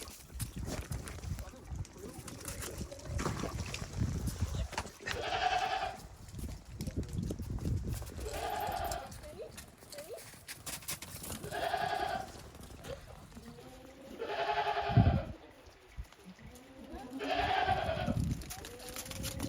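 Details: Goats stepping cautiously over fresh snow on a Japanese farm, 28 December 2023, after heavy snowfall; five bleating cries, each about a second long and tremulous, spaced roughly every three seconds, with low rumbling and crunching noise beneath.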